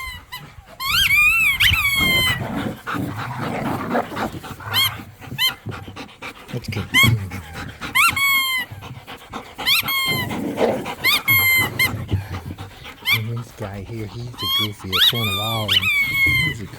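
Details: Dogs, pit bulls and a Malinois, romp in a yard and play tug of war over a squeaky toy. Low, rough growls and snarls rumble beneath bursts of sharp, high squeaks from the toy, with panting breaths between.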